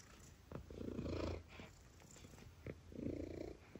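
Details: Domestic cat meows played to attract cats: two drawn-out, low, harmonic meows about two seconds apart, each swelling and fading, over a faint steady high hiss in a quiet recording.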